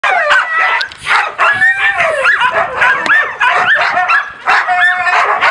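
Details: Husky and laika puppies barking and howling loudly, recorded 4 June 2016: several young voices overlapping in a dense chorus of yips, sharp barks and rising, bending howls, nearly continuous with brief pauses.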